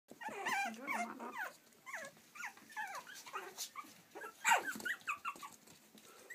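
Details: Playful Yorkshire Terrier puppies in Stockport, Cheshire, UK, in a quick run of high, squeaky whimpers and short yelps. The rising and falling cries overlap, with one louder, sharp yelp about halfway through.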